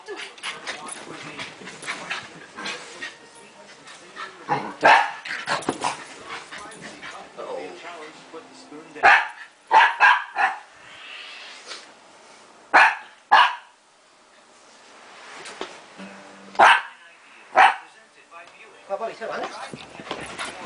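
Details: Shiba Inu pup Tako playing tag with a Pekingese named Bobby indoors; scattered sharp barks and yips come in bursts between quieter stretches of scuffling, with some human voices in the background.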